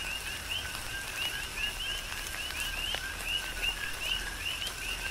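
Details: Coqui frogs serenading through a tropical downpour, Big Island, Hawaii; repeated two-note calls, each closing on a clear upward whistle, come from several frogs at once beneath steady rain noise and sharp raindrop taps.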